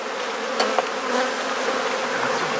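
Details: Swarm-like hum of honey bees at an opened hive during an inspection in a garden in Perth, Australia; a thick, even buzz throughout with two quick knocks near the start.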